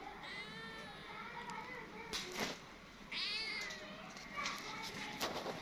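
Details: Small kitten coming quickly when it sees its friend calling it; several high harmonic meows, two of them clear and rising then falling, among a person's low voice and sharp clicks and taps.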